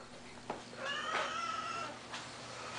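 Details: Cat giving a drawn-out, wavering meow that rises then holds a steady tone for about a second, with soft thuds before and after in a quiet indoor space.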